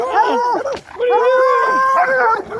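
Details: Hound dogs racing along a fence with Lucy, giving drawn-out wavering howls, one rising and holding, mixed with a woman talking to them.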